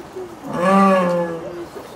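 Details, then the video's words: Single jaguar at Tennoji Zoo in Japan calling in the evening toward a second jaguar in the next enclosure; one smooth, tonal, slightly arching moan lasting about a second, rising and then gently falling. "ルースさんの鳴き声 ジャガー"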